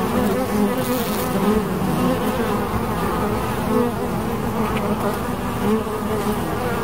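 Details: Continuous buzzing of bees: a thick, low, wavering drone of many wingbeats layered together, even in loudness from start to finish.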